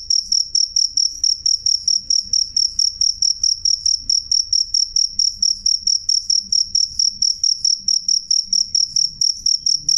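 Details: Clear loud chirps of a cricket, a shrill high pulse repeated steadily around two to three times each second without pause, over a soft low background hum.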